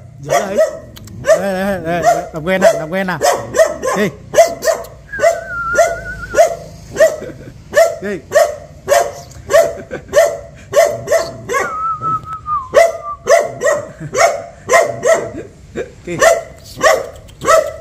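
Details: A dog reacting to a stranger runs and barks steadily, short sharp barks repeated nearly twice a second, and backs off when approached; dog.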